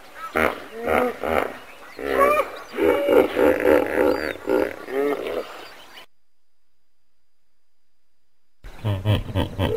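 A common hippopotamus gives a run of deep, rhythmic honking grunts that rise into wheezy bellows.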